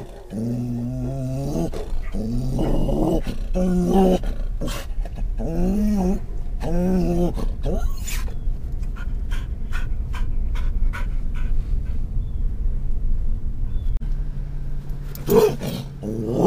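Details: Scottish Terrier riding in a car in October 2010, reacting to stimuli inside and outside the vehicle: a run of drawn-out, harmonic whines and yowls with wavering pitch over the first seven seconds, then steady engine and road rumble.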